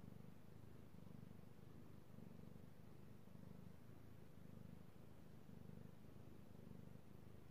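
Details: Io, a male pet cat, purring while being petted, recorded 3/16/18: a steady low rumbling purr in pulsing bursts about every 0.7 seconds, quiet indoor setting with no other clear sounds.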